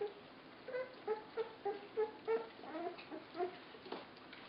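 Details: Puppies 24 days old being fed, giving short, high, tonal squeaks and whimpers in a quick, uneven run of about a dozen, roughly three per second, with soft rustling between them indoors.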